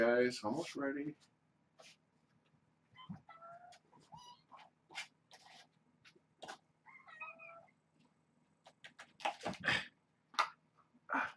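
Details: Hungry kittens of Janine's litter at Purrfect Pals play rambunctiously before breakfast. Two short, wavering meows rise and fall amid human talking indoors, with thumps and rustling bursts at the start and the end.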